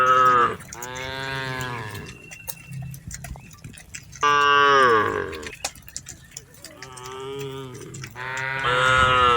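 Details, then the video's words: Tame cattle driven through a rice field, several animals or one animal mooing four times, bellowing calls of one to two seconds, some rising and loud, separated by quieter gaps. "Suara Sapi Lembu Jinak"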